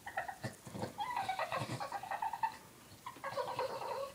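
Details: Three-year-old male Boston Terrier crying after his one-year-old Boston Terrier sister took his bone: high, nasal whimpers and whines in quick uneven bursts, some drawn out and wavering. A short pause falls before a final long whine.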